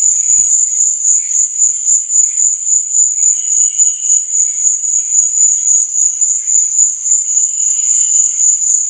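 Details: Crickets chirping at night: a steady, shrill high-pitched trill that swells and fades in quick pulses, about three to four per second, with fainter, lower scattered chirps underneath.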